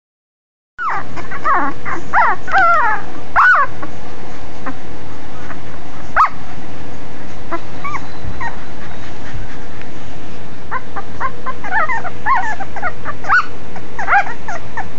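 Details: Five-day-old Cane Corso puppies giving high, squeaky whimpers and short rising-falling whines in quick overlapping bursts, busiest at the start and again near the end, with soft rustling beneath.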